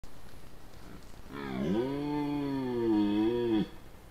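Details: A large red deer stag, recorded by a camera trap in Parco Nazionale Foreste Casentinesi, gives a single deep, drawn-out rutting bellow, steady and rich in harmonics.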